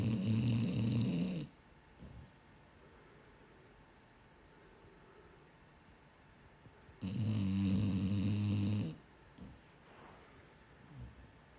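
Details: Female pet dog snoring in her sleep, a habit that lasts all night long; two loud rumbling, buzzy low snores about five seconds apart, each lasting around two seconds, with quiet breathing between them.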